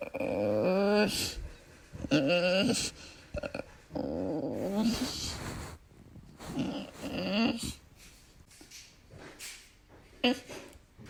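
An Old English Bulldog makes odd, wavering growls and groaning yowls in short bursts.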